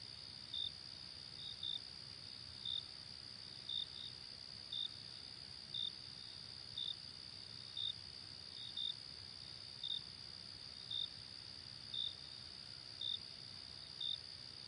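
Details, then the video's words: Daytime chorus of crickets: a long run of short, sharp high chirps close to one per second, occasionally doubled, above an unbroken shrill trilling background. "Relaxing Crickets and Nature Sounds Ambience"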